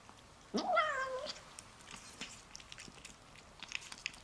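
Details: Domestic cat making a sound while eating: one short, quavering meow with a rising start and wobbling fall, followed by soft chewing clicks and small smacking noises indoors.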